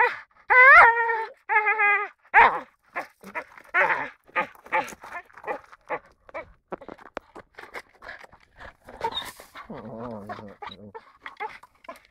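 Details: Four-year-old American Staffordshire Terrier vocalizing: a few loud, clear whine-like tones at first, then softer broken grumbles and moaning sounds, ending with a lower wavering moan.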